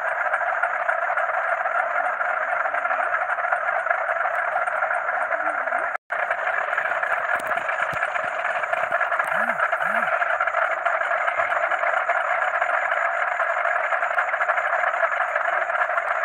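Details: After dark, frogs chorus with crickets in a constant dense mass of croaks and a high steady cricket trill. The sound drops out briefly near the sixth second, and two faint low swooping notes follow later.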